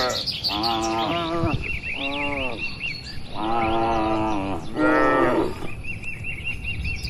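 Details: A herd of tame cattle wanders and grazes in an oil palm plantation. Four separate mooing calls come about a second apart, each wavering slightly in pitch, while a bird repeats a quick, trilling chirp between the moos.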